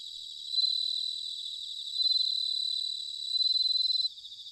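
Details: Bell cricket singing in autumn, recorded in Sanuki, Chiba, Japan: a high, ringing trill of rapid pulses on a steady narrow pitch, swelling into three louder bursts before dropping back to a softer background chorus.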